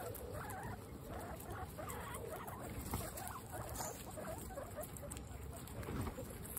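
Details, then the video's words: Dinner time for a herd of 26 female pet guinea pigs: quiet wavering squeaks come and go above steady munching and shuffling noise. "Guinea pigs peaceful dinner time"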